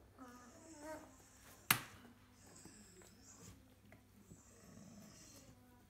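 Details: Sleepy 23-day-old field-line Labrador Retriever puppies, dozing after morning nursing, give soft, wavering whimpers amid quiet breathy snuffles.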